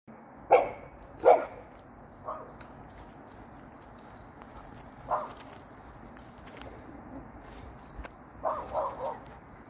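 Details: Golden Retriever, described as hopping: two loud, sharp barks in quick succession near the start, then softer, scattered barks and a short cluster of three near the end, over a quiet background.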